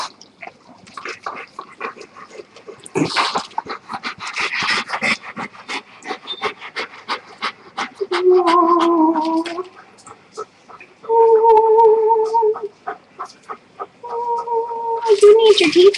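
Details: Rescued German Shepherd, recovered from pneumonia after two hospitalizations, whines in long tonal drawn-out notes of about a second each, separated by rapid panting and clicking, with a person's voice at times.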